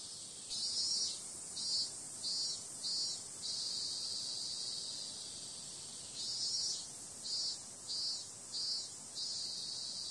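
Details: Cicadas on a summer night: a steady, high shrill drone overlaid by runs of louder rhythmic pulses, about four or five quick surges in each run, with two such runs separated by a few seconds of even hum.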